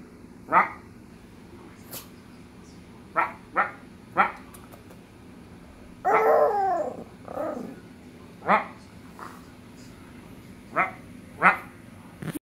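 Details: Small Maltese dog producing scattered short yips and barks, with a longer quavering howl in the middle, then more sharp yelps spaced a second or so apart.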